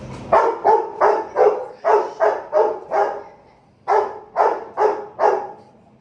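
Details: Aggressive Saint Bernard puppy barking in rapid bursts, deep harsh barks repeated roughly every third of a second in two runs with a short pause between, no other clear sounds.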